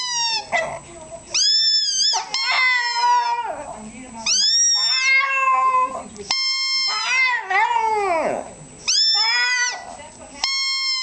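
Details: Pet Shih Tzu trying to sing indoors, giving drawn-out, wavering, tonal howls that rise and fall in pitch, in several phrases separated by short breaks over about eleven seconds.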